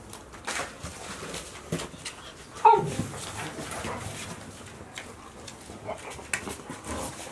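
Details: Golden Retriever puppies, 62 days old, from Chiro's litter of five males and one female born 26 April 2018 at Ain village; one short, high, thin whimper near the middle amid scuffling, soft clicks and low background noise.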